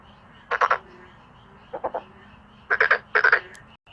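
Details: Male black-spotted pond frogs give short, harsh pulsed croaks in separate clusters of three or four rapid pulses, heard four times over a faint, steady background hum.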